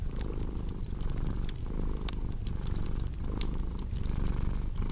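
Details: A purring cat paired with a cozy fireplace: low, continuous vibrating rumble pulsing gently roughly once a second, while bright snaps and crackles from the fire scatter through the background.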